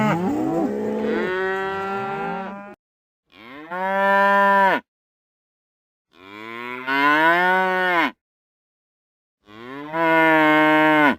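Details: Several real cows mooing in turn: a wavering, overlapping low at the start followed by three separate loud moos roughly every three seconds, each swelling then dropping off.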